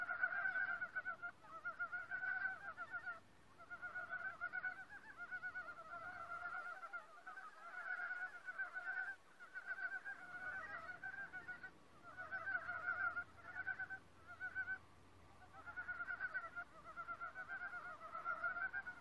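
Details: Forest frog chorus, many animals calling at once: continuous bursts of buzzy, pulsed croaking in short overlapping trains, with brief lulls every few seconds before the rattling restarts.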